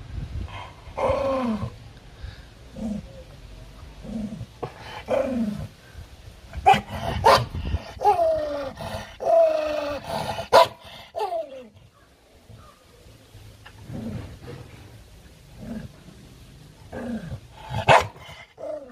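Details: Aggressive dog fighting over food: rough, falling growls in bursts about a second long, broken by sharp snapping barks, with a quieter stretch midway before the growling resumes.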